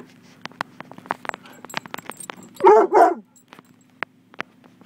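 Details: Coonhound mix dog in a car during a car wash, guarding its owners. Two loud, rough barks in quick succession over steady machine hum and rapid clicking spray.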